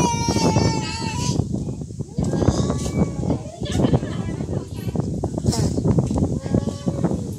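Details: A real fight between cats opens with a strained, wavering yowl lasting about a second, followed by gusty wind and scuffling noise with only faint tonal traces.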